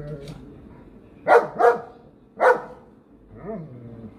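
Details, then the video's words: German Shepherd near a rabbit, three sharp barks in close succession followed by a softer, lower bark, over a faint steady hum and murmuring human voice. "German Shepherd vs Rabbit"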